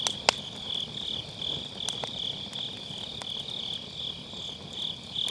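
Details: High, ringing insect trilling from the grass on an autumn night runs steadily beside a wood campfire in a round fire pit, MKE600 microphone, opening with a loud pop from the fire and a few lighter crackles after.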